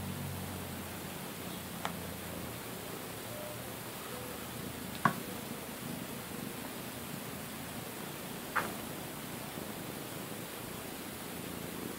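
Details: Soft, even room hiss runs throughout, broken only by three short, sharp clicks spaced a few seconds apart, with no animal voice.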